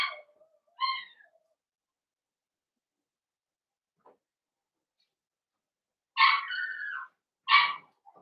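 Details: Blenheim Cavalier King Charles Spaniel puppies, a litter of five born on New Year's, inside their puppy pen. Thin, tonal whimpers open the recording, followed by a long quiet gap and then two louder, wavering whines close together.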